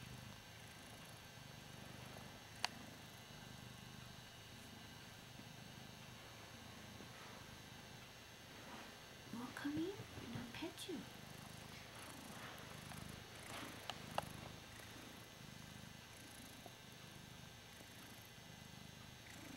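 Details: Male Ragdoll cat enjoying being adored, purring in a continuous low rumble throughout, with a woman speaking softly partway through and a few light clicks.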